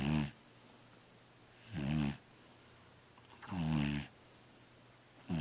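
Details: Little black dog snoring in its sleep: three rough, throaty snores at slow, even intervals about two seconds apart, quiet breathing between, and a thin constant high whine behind.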